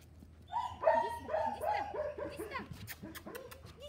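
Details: Young male Miniature Pinscher, Filip Fleetwod Royal Dignity from Kennel Royal Dignity, Ukraine, whines in quick, uneven bursts: thin, nasal yelps arching up then down, about three each second, over a faint low hum.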